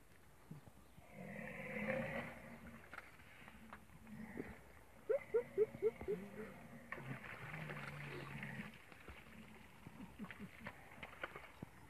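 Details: Deep, droning hippopotamus grunts, then a quick burst of five or six honking pulses, as hippos attack a rhinoceros.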